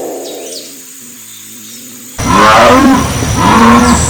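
After a couple of seconds of low, murmuring sound, a jaguar bursts into harsh, throaty roars. The roars are gravelly and harmonic, coming in surging pulses roughly once a second.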